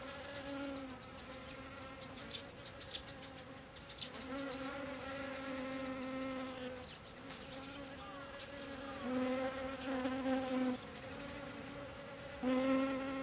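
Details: A group of honeybees foraging for nectar on kumquat flowers blooming in a garden. Overlapping low hums rise and fall as bees pass close, with brief sharp taps and a steady high hiss.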